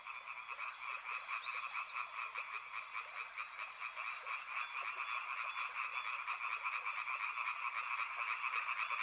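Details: Riverside frog chorus of many callers, with fast pulsed croaks layered in a higher band and a lower band. A brief thin whistled sweep rises and falls early on.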